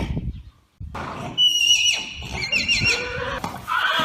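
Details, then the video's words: Arabian horse whinny that opens with a brief low rumble, then breaks into a high, wavering neigh whose tones slide downward in steps, ending on a renewed shrill note. "أجمل صور خيول عربية أصيلة مع صوت صهيل الحصان"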